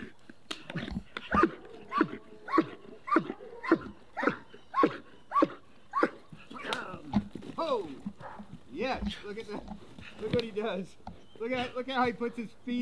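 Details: German Shepherd trained as a protection dog barking in a steady run of sharp, loud barks about every half second, then a man talking and praising the dog outdoors.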